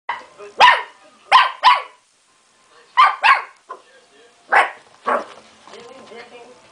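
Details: Dachshund puppy facing a rabbit, giving sharp, high yapping barks, mostly in quick pairs, seven short bursts in under six seconds, with a soft murmur toward the end.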